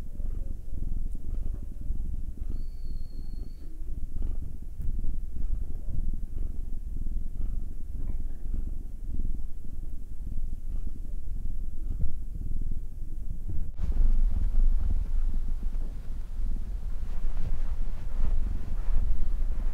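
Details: Domestic cat purring as it is massaged, either Will, male black cat aged nine, or Anzu, female tortoiseshell Munchkin aged two. Long, steady rumbling purr; a brief thin high tone early on, then louder rustling and handling noise in the second half.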